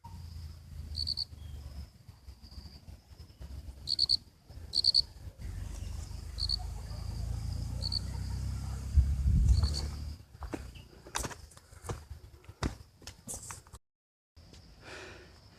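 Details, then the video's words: On a quiet, cloudy hilltop road at Dahachok near Kathmandu, Nepal, as drizzle begins, crickets give high, thin chirps in short repeated bursts over a low rumble of wind. "you can hear the crickets sound here finally"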